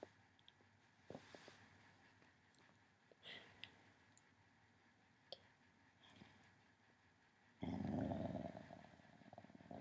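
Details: Female pet dog indoors, growling at the small green camera light of a Mac while being photographed; quiet room with scattered clicks, then a loud, rough, low rumbling burst over the final two seconds.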